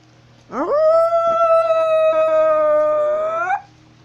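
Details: A walking gray wolf (Canis lupus), said to live in North Eurasia, gives a single long howl, sweeping up quickly and holding a steady, mournful tone.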